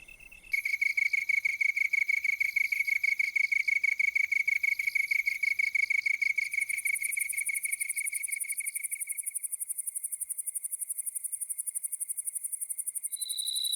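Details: Grass insects, crickets and katydids, singing in an autumn grassland in Korea as the day-night temperature gap widens; males court females by rubbing their wings. Steady rapid pulsed high trill, about three pulses per second, shifting to a higher buzzing band midway.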